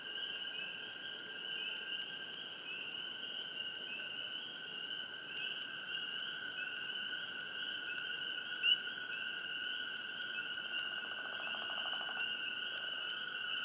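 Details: Frogs chirping close by in a swamp: rapid high chirps pulse in a steady rhythm, less than a second apart, over a constant shrill ringing chorus and a lower unbroken trill, with a faint hush of background noise.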